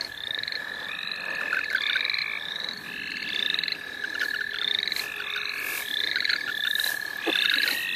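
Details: A dense frog chorus in the St. Olaf College Natural Lands, heard while frogs are being caught: a continuous high trill under repeated short upslurred notes overlapping one another, with occasional bursts of rustling.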